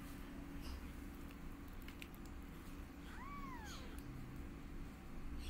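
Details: One kitten beside its mother cat, as she teaches the litter to walk, gives a single clear arched mew that rises then falls, over low steady background hum.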